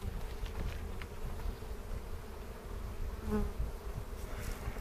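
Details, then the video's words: Honey bees humming steadily around a hive being opened in a foothills bee yard near Cochrane on April 27, 2018, as keepers look for queen cells to make a split; an even low drone with one brief higher buzz passing by. "Bee Hive Inspection"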